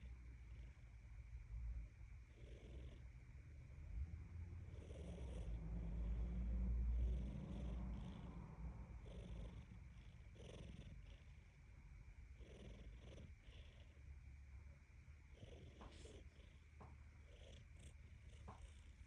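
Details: A domestic cat purring or perhaps snoring: a steady low rumble with a rhythmic pulse that swells louder around the middle, against a faint steady background hum.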